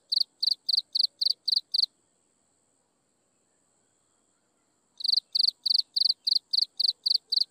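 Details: Insects chirping at sunset: loud, even pulses near the top of the range, about four per second, in a run of seven, then a three-second pause before the regular pulsing resumes; a faint steady high hiss underneath.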